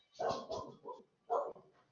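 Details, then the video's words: A dog barking indoors while a lot of noise is going on nearby: four short, harsh, muffled barks over about one and a half seconds, the first three close together, then a pause before the last. "É que tá rolando aqui uma barulhada e o cachorro tá latindo."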